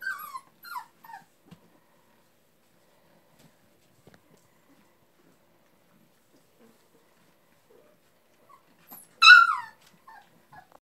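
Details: Labrador Retriever puppies playing, from a West Salem, Wisconsin breeder: a burst of shrill, falling squeals opens, then near silence, then a loud high yelp with brief whimpers near the end.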